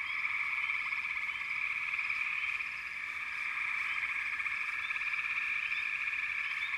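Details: Frogs calling together in a dense, unbroken chorus, a steady pulsing trill held throughout, with brief high chirps rising now and then above the massed calling.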